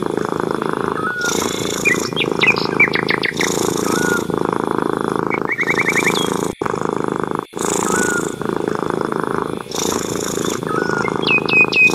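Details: A cat's even, vibrating purr runs for the full stretch, rapid pulses with short gaps, while small birds chirp and trill intermittently.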